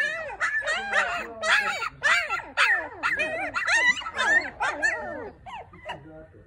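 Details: Newborn Maltipoo pups, four in the litter, give loud wavering whines and squeaks in quick succession, overlapping, then trailing off into a few softer cries near the end; a faint human voice may be present.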